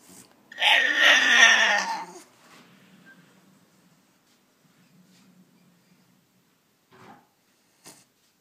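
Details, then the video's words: A French Bulldog, wanting to be let out of her cage, gives one drawn-out, wavering, whining yowl that slides downward and sounds almost like speech, then falls quiet. "frenchBulldog"cheese"チーズのお喋り"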